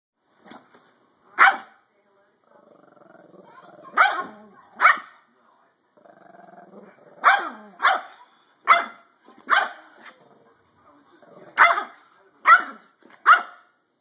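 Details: Pudgy, a pet Shih Tzu, objects to being touched. She gives sharp, high yapping barks in ones and twos, with low, soft grumbling growls between the bursts. A person speaks quietly nearby.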